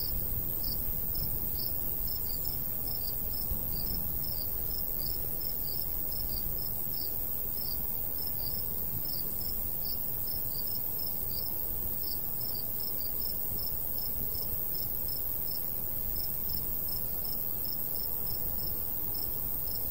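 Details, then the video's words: Rural summer scene with crickets near golden wheat: a continuous train of shrill chirps, several per second and slightly irregular, rides over a constant breezy low hiss. "Countryside/cricket sounds"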